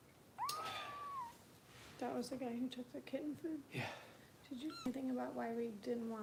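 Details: Foster kitten Harper being bottle-fed by Kitten Rescue volunteers in Los Angeles gives one clear, high rising-then-falling meow, followed by a woman's voice talking indoors with another short mew in between.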